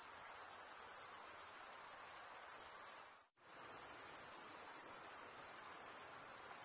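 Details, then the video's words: A continuous high-pitched cricket trill from males rubbing serrated wing veins together cuts out abruptly for an instant midway, then resumes at the same even, piercing intensity. "cricket sound"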